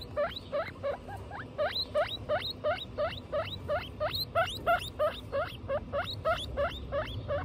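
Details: Loud repeated squeals from a guinea pig family, mother Butter and young Lion, Tofu and Mochi: each note a shrill upward whistle, delivered steadily near three per second, several louder peaks midway, faint hum beneath.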